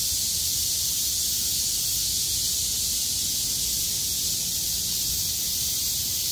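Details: Cicadas in full chorus on a clearing day after a downpour, 6 August 2020, vibrating hard and loud; sustained shrill, static-like buzz high up, steady in loudness, with faint low rumble.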